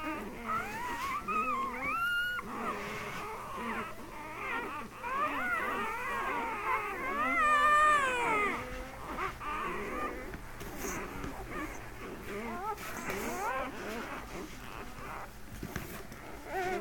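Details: Litter of thirteen newborn Mastiff puppies just delivered at a veterinary clinic, crying together in overlapping wavering squeals and whines, one louder high cry rising above the chorus, indoors with a low hum.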